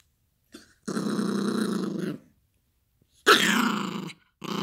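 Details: Yorkshire Terrier puppy Gracie growling while playing with a toy indoors: a sustained rumbling growl of over a second, a pause, then a louder rising growl that breaks into a harsher snarl.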